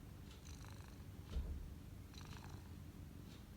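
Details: Cat massaging as it purrs: an even, low rolling rumble that swells briefly near the middle, with light rustles and ticks over it.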